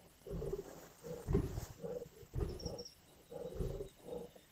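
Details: Feeding lions at a kill in Indian bush, giving rasping, rumbling growls and snarls in uneven bursts about a second long; a faint high chirp is heard midway.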